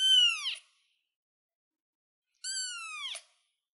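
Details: Young kitten sitting on a chair, two piercing high-pitched meows roughly two seconds apart, each bright and harmonic-rich before dropping off at the end; silence between calls.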